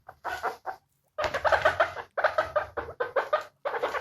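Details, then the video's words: Guinea pig sounds described as happy: bursts of short, harmonic squeaking notes in rapid runs, grouped into several quick series separated by brief silences, with a low background hum. "Guinea Pig Sounds to Make your Guinea pig Happy. Guinea pig sound effect. Happy Guinea Pigs"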